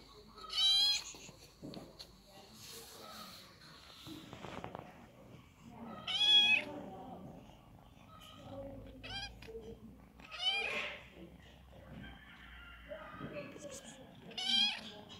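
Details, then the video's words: Little kitten meowing, about five clear high bent meows at irregular gaps, with faint voices and low room noise between calls. "LİTTLE KİTTEN MEOWING"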